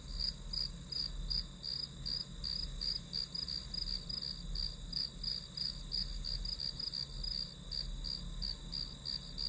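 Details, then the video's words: Grass insects calling as ambient study noise: bright, high pulses repeated nearly three times a second, slightly uneven in spacing, over a constant thin ringing tone and quiet low hum. "풀벌레 소리"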